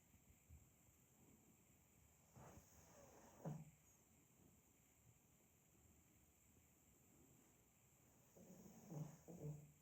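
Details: Sleeping pug snoring softly: faint, low rumbling snorts come in short bursts with long quiet gaps between them, two around the middle and two more near the end, against a steady background hiss.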